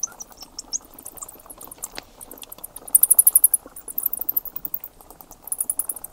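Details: Flying bats give scattered high ticks, then dense, shrill buzzing trains of squeaks near the middle and again at the end. A faint low rumble and hiss sit underneath.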